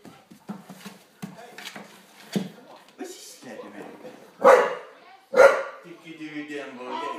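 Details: Daddy, an Olde English Bulldogge, reacts to a Megatron toy with two sharp, loud barks about a second apart near the end, following stretches of people speaking.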